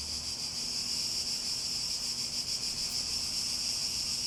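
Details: Cicadas give a loud, unbroken, hissing buzz high in pitch, gently pulsing in intensity, while a faint steady low hum runs underneath.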